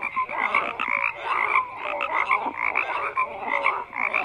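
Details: Crowded frog chorus: rasping croaks overlap constantly, dotted with short clear piping notes, loud and unbroken throughout.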